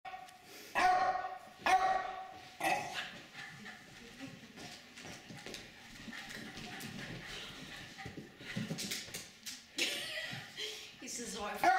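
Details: Jasper, a senior Jack Russell Terrier over fifteen and a half, barking while running and playing on 4/2/23 in suburban St. Louis, Manchester: three sharp barks about a second apart, then scuffling and indoor clatter, with a brief human voice.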